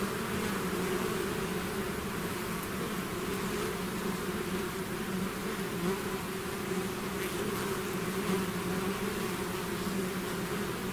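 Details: A swarm of bees pouring out of the hive fills the air with a level, humming drone, faint individual buzzes flickering above the steady low tone.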